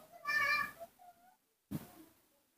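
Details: Newborn baby monkey, cared for indoors and given topical ointment to help its illness heal, lets out a short harmonic squealing cry lasting about half a second, followed by a faint brief tone and a sharp knock, with Indonesian speech nearby.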